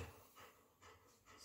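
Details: Golden retriever dog panting while playing with its owner, short rhythmic breathy bursts about every 0.4 seconds, soft and close.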